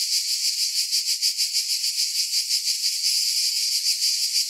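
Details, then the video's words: A steady high-pitched cicada drone, with a rhythmic throb of roughly three beats per second running through the whole stretch. Nothing else is heard. "Relaxing Cicada Sounds"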